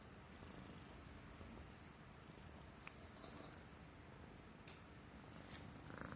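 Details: Himalayan Persian cat purring while being stroked on the neck, an affectionate pet feeling safe and comfortable; continuous soft low rumble with faint clicks and rustles over the top.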